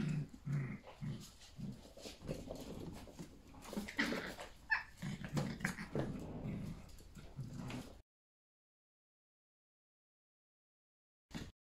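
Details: Indoors, Yorkshire Terrier puppies romp with their mother, giving quick whimpers, yips and soft growls over scampering, then falling silent apart from one last brief sound.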